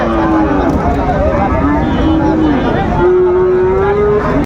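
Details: Flekvieh bull calf mooing in short wavering calls and then a longer rising low, while men haggle over its price in Bengali nearby.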